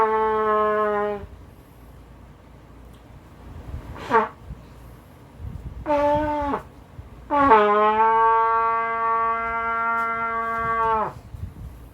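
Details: Sustained brass notes, like a trumpet or horn, sound in long tones with short blasts between. No animal voice stands out.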